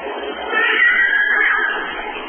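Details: Northern Resident orcas communicating at sunset in Johnstone Strait, British Columbia, captured by hydrophone: a drawn-out, loud, tonal call with layered harmonics, rising and wavering in the middle before easing down, steady for over two seconds.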